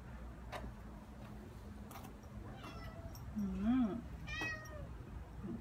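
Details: Ao, a neutered seven-month-old Ragdoll, roaming a quiet new apartment complex in Korea on an outdoor walk. Gives one clear, bending meow about half a second long over a low background drone and a few faint clicks.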